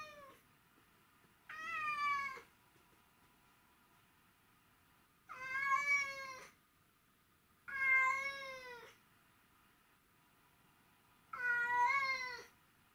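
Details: Missing her owner, the cat Mimi utters four loud, plaintive meows spaced three to four seconds apart, each a sustained, slightly wavering cry of about a second, in an otherwise quiet indoor room.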